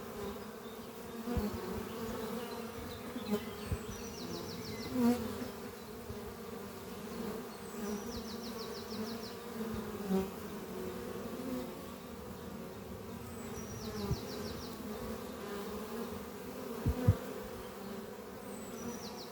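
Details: Steady humming of many honey bees flying around beehive Doppio, housed in an old French oak chest beneath trees on a spring morning, broken by a few louder close passes and brief bird trills every few seconds.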